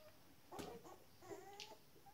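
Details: Shetland Sheepdog puppies, 19 days old, giving soft whimpering squeaks: a burst of noisy whines followed by thin, level, tonal whines that waver slightly, over about two seconds of quiet room hiss.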